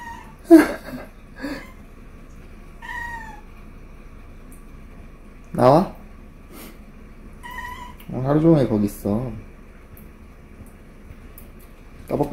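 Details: Talkative spayed female Korean Shorthair cat, rescued and kept indoors, arguing heatedly with her owner about a water leak: drawn-out, wavering meows in bursts separated by pauses, with a man's voice and laughter in a small room.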